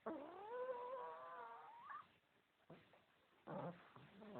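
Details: Pug. A pug puppy snores with a drawn-out, whistling, nasal tone that wavers and rises at its end. Short, rasping snorts follow on later breaths.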